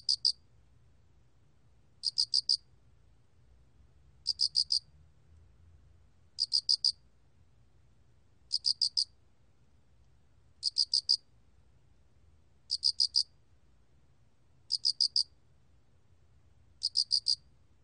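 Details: A Loxoblemmus cricket (알락귀뚜라미) sings short, high, trilled chirps of three or four pulses, repeated about every two seconds.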